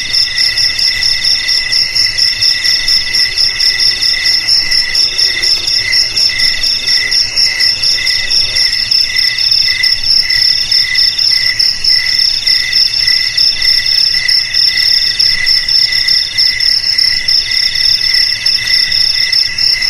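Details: Continuous cricket trilling meant to keep rats away from home, garage, storeroom or rice field: an unbroken shrill buzz of stacked high tones, pulsing in slow swells across twenty seconds.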